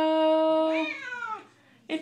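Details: A female Siamese cat sings along indoors with a person's Les Misérables song. A held human note is followed by the cat's wavering meow, which rises briefly and then falls away. The singing resumes at the end.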